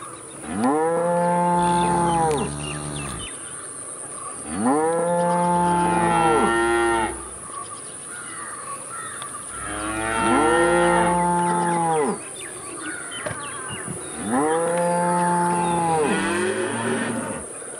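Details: Cattle lowing in a steady series, four long arched moos roughly every four to five seconds, each swelling and falling in pitch, with a constant high-pitched hiss in the background.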